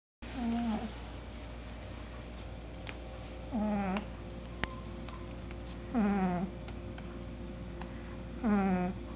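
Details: Kishu puppy snoring in its sleep: four nasal, tonal groans that fall in pitch, about two and a half seconds apart, over a steady low background hum.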